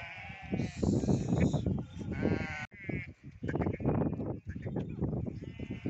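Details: Goats on a farm that keeps both goats and sheep: several wavering, nasal bleats with tremulous harmonics, each under a second long, rise over a constant rough, shuffling din of milling animals.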